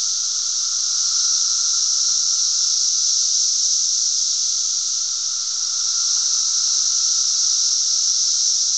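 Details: Loud massed cicada chorus from Glen Ellyn, Illinois, June 10, 2007: an unbroken shrill buzzing wall of sound, high and hissing, with slight swells in loudness and a faint steady lower hum.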